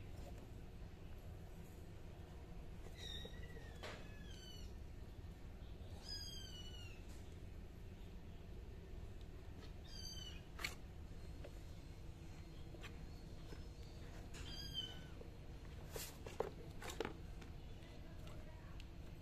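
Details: Kittens mewing in thin, high, short downward-slurred cries scattered across the recording, several in quick pairs, faint against a steady low rumble of background noise with a few clicks and knocks.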